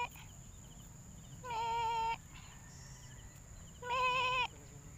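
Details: A hungry young goat kid bleats twice, each a loud harmonic cry about half a second long, separated by quieter background with a steady high electrical whine.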